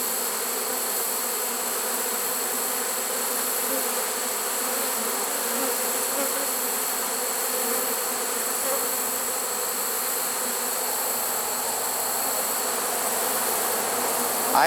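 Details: Honey bee swarm in a trap, September 1, 2019, where the queen could not be spotted. The bees give a constant, even hum that ends in a short sharp knock.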